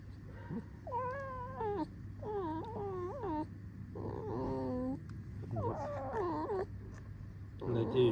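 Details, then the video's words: Red fox vixen kept as a pet, uttering repeated creaky whining calls with rising and falling harmonic bands, about six in eight seconds, some warbling; quiet room, low hum underneath. "О чем скрипит рыжая"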